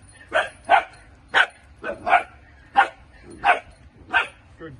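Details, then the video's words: Dutch Shepherd puppies in early training in France give short yappy barks, about seven sharp bursts in five seconds at an uneven pace, while a trainer speaks praise between them. "Dutch Shepherd puppies beginning training work"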